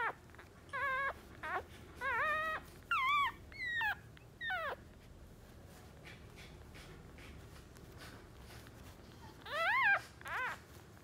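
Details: Two-day-old West Highland White Terrier puppies, a boy and a girl in Tina's new litter, let out high, wavering squeaky whimpers in short bursts, about six within five seconds. A quiet stretch follows, then two more rising cries near the end.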